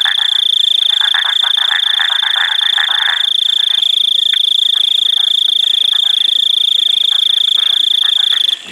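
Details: Painted chorus frogs (Microhyla butleri) give rapid, rasping, clicky calls over a steady high insect whine, and the throat of one frog is seen moving as it calls.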